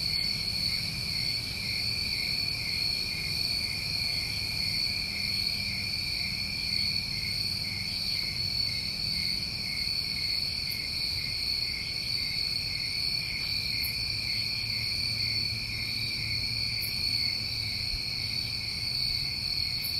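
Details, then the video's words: Chorus of New England summer crickets, layered continuous high-pitched trills droning without pause for twenty seconds, a few faint ticks above and soft low background hum. "Tinnitus Masking With Crickets"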